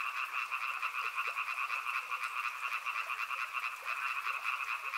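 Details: Dense chorus of frogs by a river, a busy, shimmering wall of fast pulsed calls with scattered sharper croaks poking out, steady in loudness throughout.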